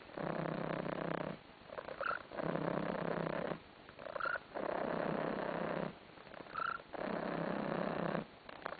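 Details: Tarasik, a pet cat basking on a sofa, purrs in even rhythmic rounds of roughly one and a half seconds, each followed by a brief gap where a small squeaky chirp sometimes slips in.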